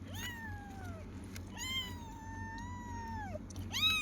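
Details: Several kittens meow in response to their owner: three clear, tonal meows that fall in pitch, each about a second long, over a low steady background hum.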